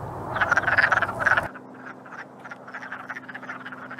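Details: Courting wood frogs give loud clucking croaks for a second and a half, then a quieter, more distant chorus of clucks continues over a low hum.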